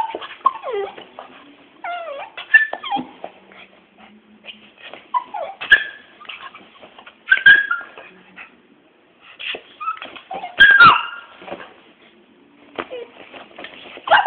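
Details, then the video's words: Two pet dogs, one little and one big, play fighting: thin whimpers and squeaky yips come in scattered short bursts, with a few louder sharp yelps among quieter snuffling sounds. "my little dog and big dog fighting lovely"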